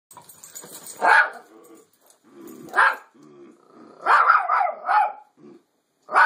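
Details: Toy Fox Terrier named Bandit barking at a fake deer given as a birthday gift; sharp barks near 1 and 3 seconds, then a rapid double burst around 4 to 5 seconds, with low growly rumbles between.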